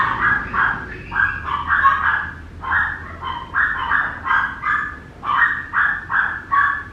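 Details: Lucky, a Papillon puppy, lets out high nasal yelps in clustered pairs and triplets, roughly every half second, rising and falling in loudness.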